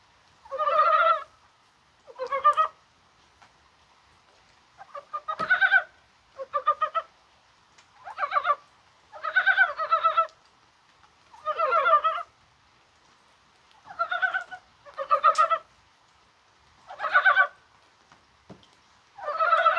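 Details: Mountain frogs croaking during rain on a warm-feeling January 21st. Steady, repeated bursts of throaty, rattling pulses arrive every one to two seconds over about twenty seconds, with multiple frogs answering one another.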